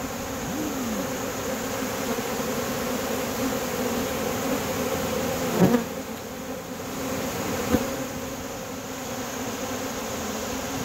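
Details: A dense, steady hum of many honey bees in flight at an open feeding, low and droning with no break.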